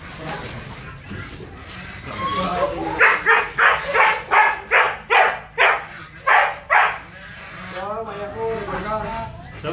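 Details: Pet Siberian Husky in Pangasinan, Philippines, filmed during an attempted mating with another dog. About ten sharp barks come in a quick, fairly even series, roughly two per second, then give way to wavering, rising-and-falling whines over low background murmur.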